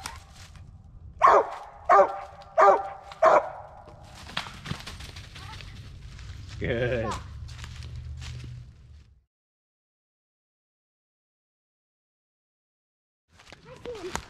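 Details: Original Mountain Cur squirrel dog barking on a squirrel hunt near black walnuts and hickory flats at dusk; four quick barks roughly every seven-tenths of a second, followed by a man's voice, then silence.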